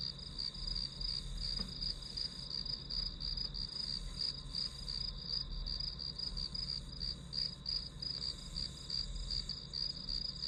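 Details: Grass insects heard as white noise for studying, giving a fast run of bright, high chirps, nearly three per second, over a continuous shrill drone and a faint low background rumble.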